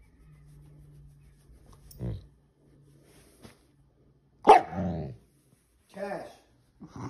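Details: Siberian Husky demanding more petting at night, upset when petting stops: a short grumble, then a loud whining yowl, followed by two briefer grumbling talk-like vocalizations, with faint human voice between them indoors.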